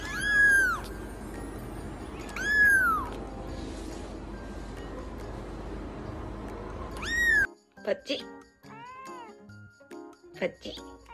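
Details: Cats meowing: three clear, rising-then-falling meows about two seconds apart, then several shorter, quieter meows, with music playing throughout.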